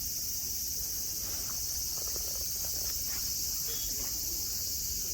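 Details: Cicada chorus at Nara Park, Japan, on a blue-sky day with friendly deer on the grass: constant high-pitched sizzling drone topped by a piercing steady tone, with soft scuffs and brief faint ticks in the middle.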